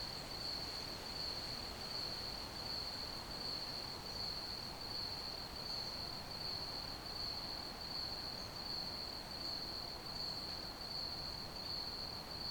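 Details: Crickets chirping as ambient night sound: a steady, unbroken high-pitched shrill trill holding one pitch throughout, over faint soft background hiss.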